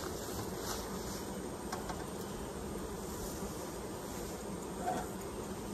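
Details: Honey bees at their hives during an inspection and honey collection; a steady, dense low buzzing hum runs through the recording without breaks, over soft broadband background noise, with no talking.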